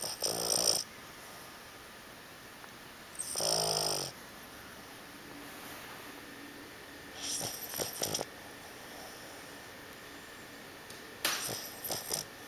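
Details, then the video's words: Seven-month-old Boston Terrier asleep and snoring indoors: four loud, rasping, breathy snores arrive roughly every four seconds, each lasting under a second, separated by quiet stretches of soft room hiss. "Boston terrier snoring"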